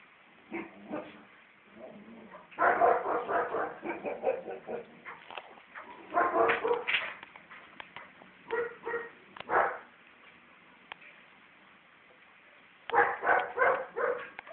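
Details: Female Siberian Husky puppy, four months old, vocalizing at home: bursts of rough, talkative yowls and yips in clusters, several seconds each, with quiet gaps between them and a woman's voice nearby.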